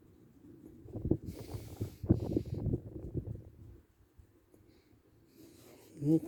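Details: Chichi, a friendly Shiba Inu kept near the Kanehama branch school in Aomori City, Aomori, Japan, sneezes after being stroked and having moulting-season fur combed out. Two breathy, hissing bursts come about a second apart, then a pause before a person speaks briefly at the end.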